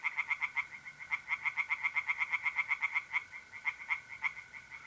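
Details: Tree frog calling from a pond in north-east Italy on an April night: a brisk, regular string of loud knocking croaks about four per second, slowing at the end, with a faint mole cricket trill beneath.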